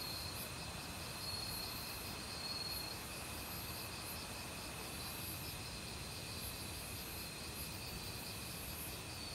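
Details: Autumn crickets calling in a forest beside a mountain stream, mixed with other insects: steady rows of short pulsed chirps high up over a continuous shrill hum, with rushing stream water filling the background.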